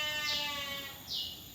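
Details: Sheep owned by PT Jatinom Indah Agri, Indonesia, giving a sustained, buzzy, harmonic bleat. Two short high chirps break in over it.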